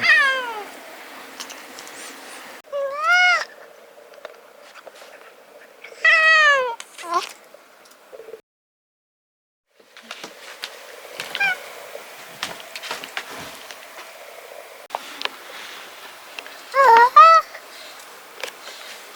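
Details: Brown tabby domestic cat yawning with its voice, a string of short squeaky rising-then-falling yawn-calls, about five spaced across the recording, with quiet room background between them.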